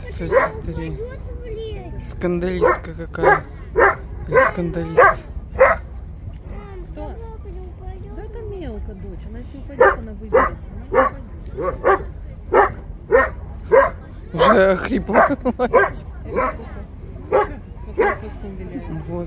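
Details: Steller sea lions in a city seaport, recorded 10 April 2022, bark in rough, guttural bursts, dense at first, pausing briefly, then resuming in a rapid overlapping chorus over low harbour rumble.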